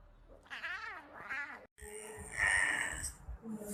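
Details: A baby lion cub gives two wavering, meow-like cries before a stretch of harsher, noisier sound.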